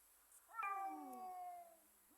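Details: Domestic cat, one of two cats making funny noises, gives a single drawn-out meow that slides downward in pitch over about a second, faint and indoors.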